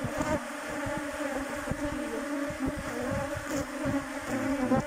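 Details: A continuous colony buzz of western honey bees at the hive entrance while a virgin queen is let in from her cage after some smoke. The hum is even and layered, with small crackles over it.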